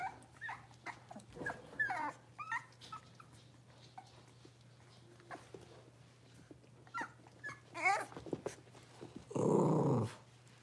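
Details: Five blenheim Cavalier King Charles Spaniel puppies, born at New Year, newly moved to a big indoor pen: scattered high whining squeals and short yips between quiet gaps, ending with a loud broadband rustling burst and a steady low hum.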